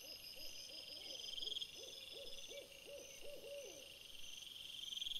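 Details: After sunset on 17 April 2021, a red fox recorded on a trail camera gives a quick string of about a dozen arched, yelping bark notes that grow louder midway, with a constant high-pitched hum behind.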